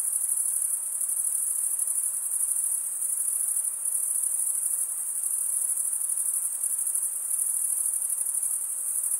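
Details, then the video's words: Chorus of crickets, males making their chirping by stridulation: a bright, piercing, pulsing trill that never stops, level throughout with slight swells, over a low wash of hiss. "Most relaxing cricket sound for 8 hours"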